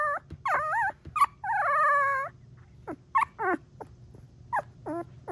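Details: Three-week-old female Golden Retriever puppy trilling: wavering, harmonic-rich warbles of about half a second, repeated rapidly with short squeaky yips between, over a low steady hum.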